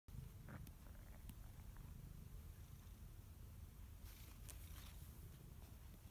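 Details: One-year-old brown-and-white male domestic cat in Erlanger, Kentucky, recorded 17 March 2017; a soft, continuous low rumbling purr with a few faint clicks and rustles.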